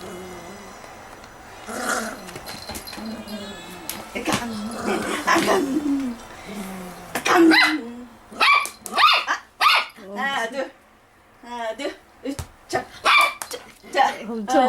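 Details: Da-Ji, a Toy Poodle, barks repeatedly while playing, a string of short, punchy yaps spaced about half a second apart in the second half, after a stretch of human talk and counting in Korean.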